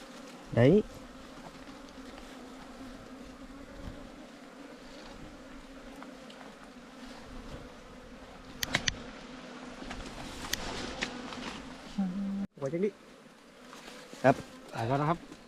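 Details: A colony of wild ground bees, smaller than kept honeybees, buzzing while their underground nest is opened by honey hunters in Thailand; an unbroken low hum holds steady, broken by knocks, scraping and short handling noises, with a sharp clatter near twelve seconds.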